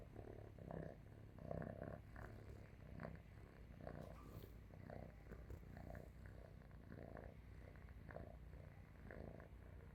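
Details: Domestic cat asleep on a person's stomach, purring loudly like a tractor: a low, continuous rumbling drone pulsing in steady waves, soft and even throughout, recorded indoors in a quiet room.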